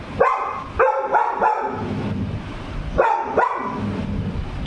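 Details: Pet Labrador Retriever barking, said to have seen a ghost: short sharp harmonic barks, two close together, then a pair of quick barks, a pause, and two more, over steady background hum, with a person calling jump jump nearby.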